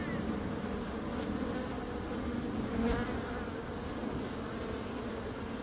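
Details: A steady low droning from bees that briefly rises in loudness near three seconds, then settles back to an even hum.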